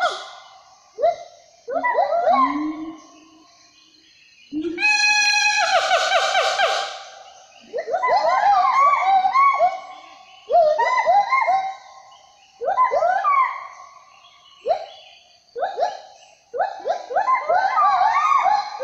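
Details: A Sumatran siamang gives loud, ringing whoops that rise and fall in bursts, with one long shrill barking rush.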